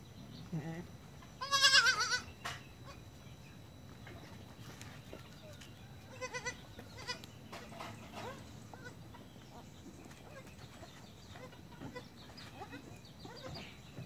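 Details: Young goat kids born on 1 January 2019 at dusk, learning to walk; a short loud bleat near two seconds, a few fainter bleats later, with background rustling and low noise.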